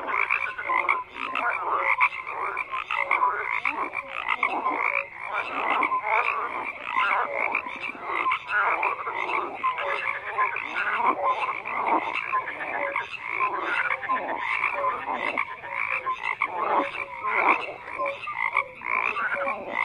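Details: Dense frog chorus with raspy overlapping croaks and quick rattling pulses, constant activity from start to end and no single caller standing apart.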